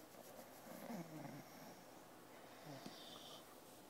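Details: Teddy, an English Bulldog, sleeping on a computer indoors and not wanting to go up to bed yet; soft, wheezy low snores with a rasping inhale around the one-second mark and another near three seconds, in a quiet room.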